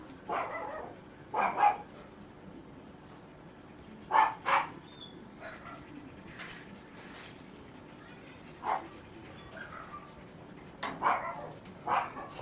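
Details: Siberian Husky recorded at a kennel during stud service: scattered barks in short pairs and singles, spaced several seconds apart over a dozen seconds, with faint murmured voices and a constant high-pitched hum behind.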